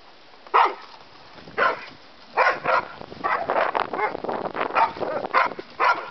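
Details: Play session of a terrier mix and a bulldog learning to play: sharp barks roughly once a second, then a quicker run of growling yaps toward the end.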